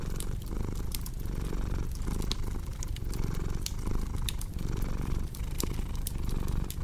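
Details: Low, throbbing purr of a house cat, pulsing rhythmically near once per second, mixed with busy fireplace crackles and sharp snapping sounds.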